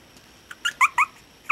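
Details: Gordon, a six-week-old Chihuahua puppy, gives a quick run of four short, high, squeaky whimpers, thin and bright with faint overtones, bunched within about half a second before a final squeak at the end.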